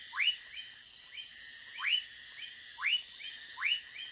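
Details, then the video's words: A Woodcock Frog (Whistling Frog, Leptodactylus fuscus) in the Amazon jungle near Manaus, Brazil, at night gives short whistled notes sweeping sharply upward, each followed by a softer echo note, about once a second, over a steady high insect hum. "Feat, Woodcock Frog"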